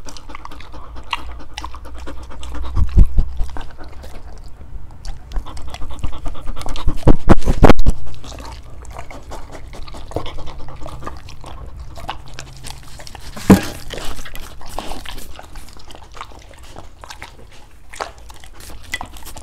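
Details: Dogs attempting to eat different fruits, heard close up: soft irregular panting and sporadic chewing clicks, with several heavy low thumps around the early seconds and a sharp crunch midway.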